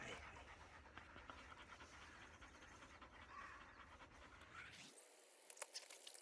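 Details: During moulting season a black Labrador Retriever named Bee breathes in fast, airy pants as her loose undercoat is brushed out; the panting fades and short rustles remain in the last second.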